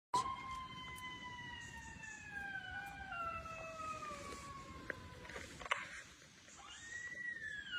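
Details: A gray wolf gives a long, smooth howl that slowly slides downward, and a second rising howl follows.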